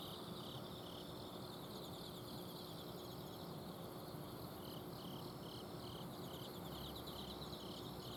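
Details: Night chorus of autumn insects in a garden at Azumino: high-pitched pulsed chirps repeat in overlapping series, one caller standing out in short bursts, while an air-conditioner outdoor unit drones steadily underneath.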